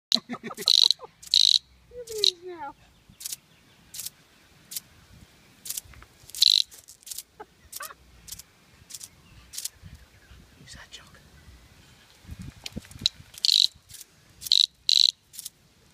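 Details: Australian cicada being played with by Jock, a Scottish Terrier; short harsh buzzing bursts come in irregular spurts, some with a brief high tonal squeak, separated by quiet gaps and soft handling noises.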